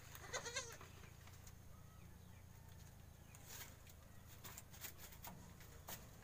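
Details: Newborn goat kid, one of two born the day before to a farmer's doe, just standing up in its pen: a brief quavering bleat early on, then steady low hum, scattered clicks and faint background rustling.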